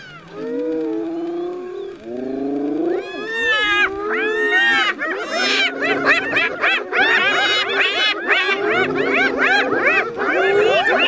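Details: Spotted hyena laughing while battling a lion over food and teasing it to steal the kill: rapid overlapping series of high, harmonic whooping giggles with rising and bending notes, several voices building into a dense chorus after three seconds.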